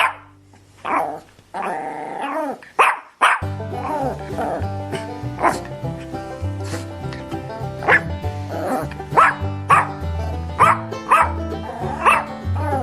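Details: Barks from a Labrador Retriever, short and irregular, scattered across the recording with a brief drawn-out yowl near the start, all set against continuous background music.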